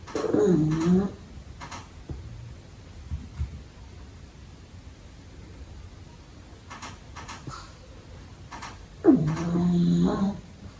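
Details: Little pug puppy asleep through the day indoors; two drawn-out snores with squeaky, whistling nasal tones, one at the start and one near the end, separated by about eight seconds of soft, quiet breathing.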